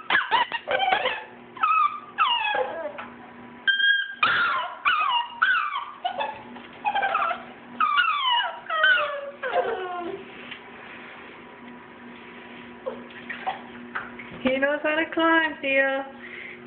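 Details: Bam Bam and T.J., two-month-old schnauzer pups, cry through bath time before their first schnauzer cut, giving dense runs of falling whines and yelps, a long quieter stretch, then a wavering howl-like whine near the end, over a low hum.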